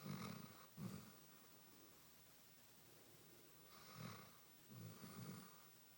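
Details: A Basset Hound snores while sound asleep, in deep, rumbling bursts with quiet breaths between them.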